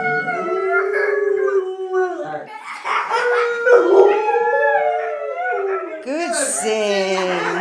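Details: Pet dog being taught by its owners to howl gives a run of wavering, sliding howls and yips, pitch bending up and down, with a person's voice joining in; loud and close, recorded on an iPhone 3GS.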